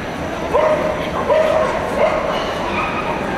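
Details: Schipperke named Bjorn van Jopie's Happy Home at a dog show in Rotterdam; three short, high, slightly rising yipping barks come about every three quarters of a second over steady hall chatter and crowd murmur.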